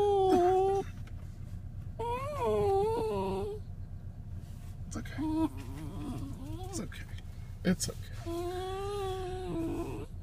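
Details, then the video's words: Poodle named Otis, anxious at being separated from his owner, gives a series of wavering, nasal whines and moans, some rising and falling, mixed with a person speaking soothingly indoors in a small room. "Poodle with separation anxiety."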